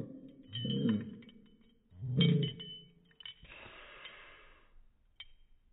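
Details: April the pug, recorded on a phone in slow motion, gives two deep, stretched, rumbling barks about a second and a half apart, followed by a hissing noisy rush and faint clinks.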